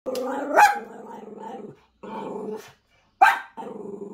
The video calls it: Min Pin Dog Roaring, Speaking and Barking